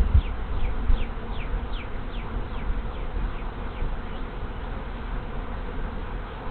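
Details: Honey bee swarm moving into a hive, 24 March 2023, afternoon, after one of two hives died over winter: a dense, steady hum of many bees, with single bees sweeping past in rising and falling whines over a low rumble.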